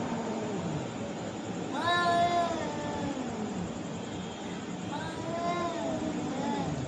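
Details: Fighting cats trading drawn-out yowls, a strong harmonic wail near two seconds and a second one around five seconds, with low moaning growls and constant hiss underneath.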